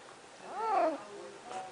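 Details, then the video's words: Snuggles, a female house cat, complaining while trying to climb out after a bath: a single clear meow that rises and then falls, about half a second long, followed by a faint second note, with a woman coaxing her. "Talking Cat"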